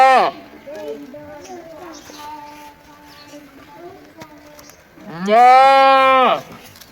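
A goat gives a loud, wavering bleat, with quieter murmurs and a possible voice between calls.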